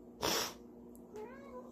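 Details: Pet male cat indoors in a kitchen, worked up by whipped cream being sprayed and begging for food; a loud spray hiss comes first, then a short, faint meow that rises and then falls.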